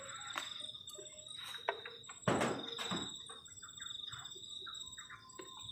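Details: Crickets on a cold night near a garden shelter at a forest edge: a steady, high, continuous trilling drone runs throughout, broken by sharp knocks, thuds and clatter from camp activity nearby.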